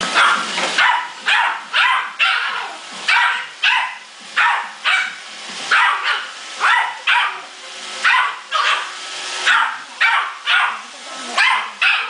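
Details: Muffin, a male Yorkshire Terrier, fighting an iRobot Roomba pet vacuum at home: a steady run of sharp, high barks, roughly twenty in twelve seconds, coming in quick bursts with short gaps between them.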